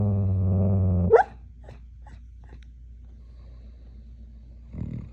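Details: Smooth Collie snore barking in his sleep: a low droning snore for about a second, then a sharp muffled woof that breaks off, quiet breathing, and another rough snore near the end.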